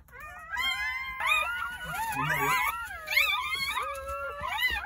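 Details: Several newborn Jindo dog pups, part of a nine-puppy litter born on New Year's Day at a rural home, wail together; shrill, bending cries overlap in continuous waves, with a faint low murmur in the middle.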